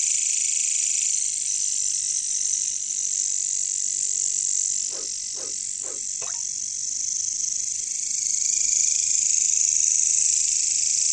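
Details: Bush crickets (katydids) in a jungle setting produce a steady high, hissing trill across the whole recording, briefly joined midway by four rapid, low, frog-like croaks before the insect drone continues alone.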